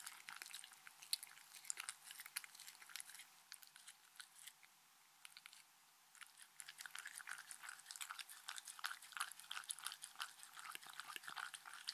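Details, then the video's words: Crisp, brittle crunching comes from a Shetland Sheepdog called Mindy chewing treats indoors. Rapid irregular bites are broken by a short quiet pause midway, then the chewing resumes steadily. "ASMR Drinking sounds Compilation Shetland Sheepdog"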